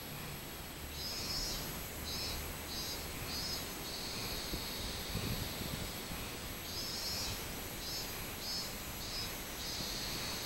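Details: Robust cicada recorded on 24 July 2016, a fairly quiet series of high pulsed buzzes followed by a longer drawn-out whining note, the phrase heard twice against a constant high insect hiss.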